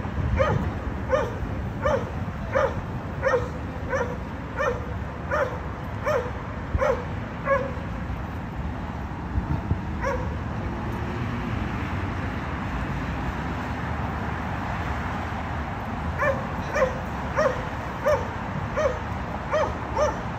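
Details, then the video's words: Dogs in a condominium barking, a disturbance to neighbours happening three times daily: a steady string of barks roughly every two-thirds of a second, a quiet gap of several seconds, then the regular barking resumes, over a constant low hum. "Disturbing noise by Dogs barking"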